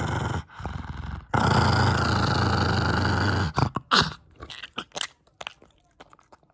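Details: Six-year-old female pug named Kongzi growls over a bone treat: a strong, continuous low rumble lasting over two seconds, then a few short gruff bursts and chewing clicks fading toward quiet.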